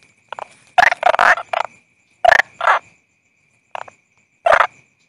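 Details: Toad calling: short, harsh croaks in irregular clusters, some doubled or tripled, separated by brief silences, over a faint steady high-pitched tone in the background.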